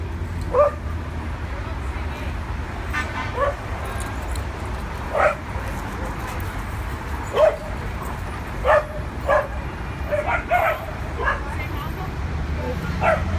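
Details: Adopted dogs at a New York City dog park for the first time, barking in scattered single yaps and quick pairs during play, with people talking and low traffic hum in the background.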